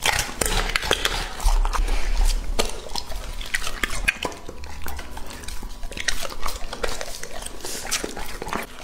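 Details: Indoors, Lucky, a male English-type Labrador aged two and a half, chews a raw meal of items such as venison shoulder and lamb heart; rapid, irregular crunches and smacking bites about every half second, with occasional clinks from the bowl.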